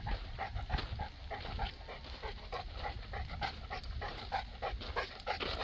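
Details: Boerboel, a South African Mastiff living in Egypt, panting softly in fast, uneven breathy puffs against a low background murmur.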